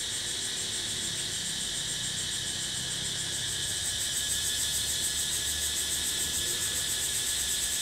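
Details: Cicadas in natural surroundings sing a dense, steady, high-pitched buzzing drone that pulses faintly without a break.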